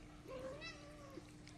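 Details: Domestic cat giving a single drawn-out meow that rises slightly then falls and fades, over a faint steady hum, with a person speaking around it.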